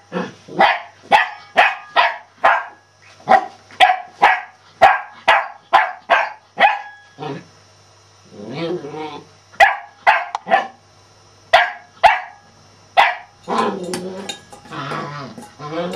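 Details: Celtyr, a male Shetland Sheepdog, barking in rapid bursts, over a dozen sharp yaps tumbling out roughly twice per second, broken by short pauses and brief low murmuring voices between volleys.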